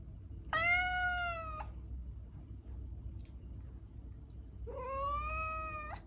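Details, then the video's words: Two meows from a domestic cat about four seconds apart, the first steady and clear, the second starting lower and sliding up before holding, with quiet low rumble between. "Cat Meowing"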